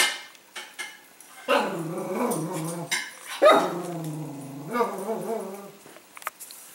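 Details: A Cavalier King Charles Spaniel at dinner time gives drawn-out, moaning whines broken by a short bark, whining and barking at his food bowl until the food is poured on the floor.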